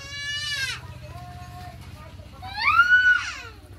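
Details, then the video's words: Newborn puppies, four days old, from a litter of six; two shrill, harmonic whines, the first bending downward, the second rising then falling, separated by a softer short tone, over a low steady hum. "Puppies was born day4,Beautiful 6 puppies"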